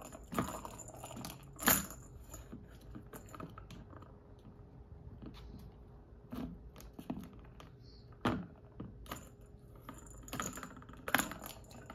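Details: Scattered clicks, taps and light knocks from a kitten playing with a ball indoors, over a faint steady hum, with no animal voice.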